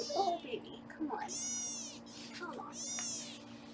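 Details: Foster kittens being weighed on a live kitten cam in Los Angeles: two high, arching mews with bright overtones, each about half a second long, following a woman's soft speech at the start.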